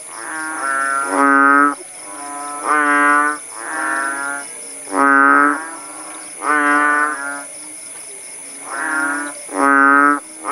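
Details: Several kodok bangkong frogs give moaning, harmonic, bleat-like croaks after rainfall in rural Langsa, Aceh, Indonesia. Roughly eight calls overlap and alternate from different callers, with a constant thin high whine behind them.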